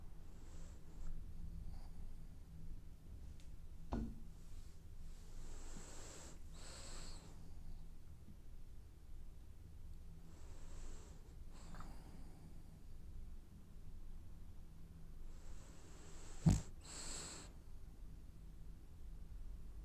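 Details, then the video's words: Dreaming French Bulldog asleep and snoring, giving a run of hissing, wheezy breaths every few seconds, some doubled, with a faint nasal whistle over a constant low room hum and a single sharp tap late on. "Snoring French bulldog has dreams"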